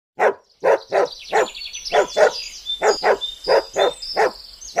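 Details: Belgian Malinois preparing to attack a man in thick protective clothing, barking sharply about eleven times at a fast, fairly even pace of roughly two barks a second, with thin high whistle-like tones in the background.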